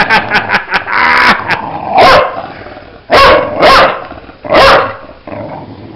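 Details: Bulldog at play, giving loud, harsh bark bursts around the second, third and fifth seconds, after a run of quick clicking taps and a short rasping sound near the start.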